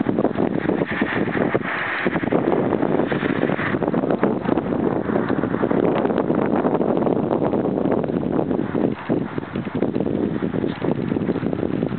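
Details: Steady broadband wind and rumbling noise, possibly a passing vehicle, with faint rustling and no clear animal calls.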